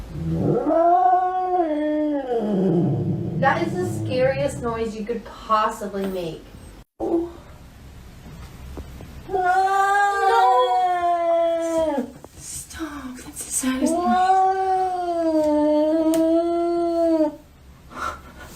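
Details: House cat yowling in long, drawn-out wails, first broken and rough, then two sustained, wavering howls of about three seconds each, with human voices and scuffling noises in between.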